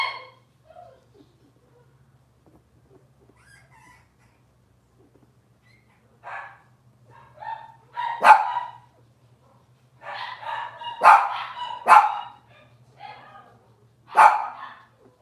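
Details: Cavalier King Charles Spaniel puppies at home: a long quiet stretch with faint hum, then scattered sharp yelps and squeals building into louder high cries toward the end.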